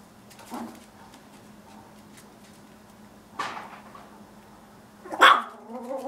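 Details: Chihuahua puppies give three short, sharp yaps spread several seconds apart: a soft one near the start, a louder burst in the middle and the strongest, high-pitched bark near the end. A quiet steady hum fills the gaps.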